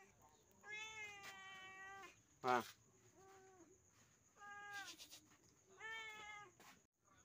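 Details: Pet village cat at dinnertime giving four drawn-out, level harmonic meows spread across the recording, with a sharp click near the middle and quiet room background.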